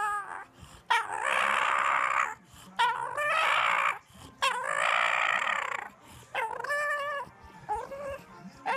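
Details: Dog giving drawn-out, wavering howls, each about a second long, with brief gaps between them; the later calls are shorter and rise and fall in pitch, and faint background music may be present.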